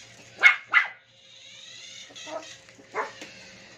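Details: Maple, a Toy Poodle at play with an RC toy, lets out two quick, bright barks in close succession, then softer yelps as the electric toy hums and whirs in the background.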